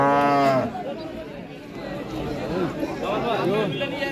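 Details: Cattle at a Qurbani cattle market in 2024: one deep, drawn-out moo with rich harmonics opens the scene, then fades into murmuring voices and market chatter.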